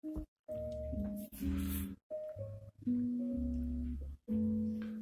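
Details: Indoor guitar and piano music, short plucked phrases separated by brief pauses, with no animal voices.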